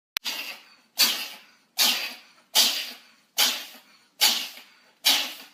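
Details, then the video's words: Cat sneezing in a row: seven breathy, hissing sneezes, each a sharp burst fading over about half a second, spaced under a second apart, with nothing else audible between them. "cats are sneezing"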